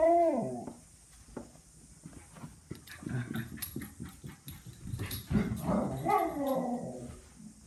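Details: Pet Miniature Schnauzer, excited because it expects food or a walk: a short whining bark at the start, scuffling and clattering in the middle, then a rising-and-falling yelping bark toward the end.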